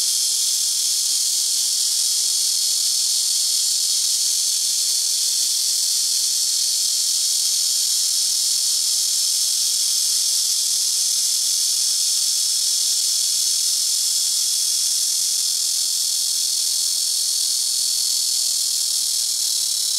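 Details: Black cicada singing very loudly from trees next to a house rooftop, neighbouring trees taking turns; one continuous, harsh, high electric-sounding drone that hardly changes over twenty seconds.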